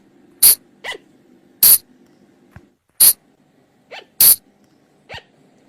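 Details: A flying lemur's call used for night luring: loud sharp bursts about once a second, each trailed by a quieter, short descending note, over a low steady hum.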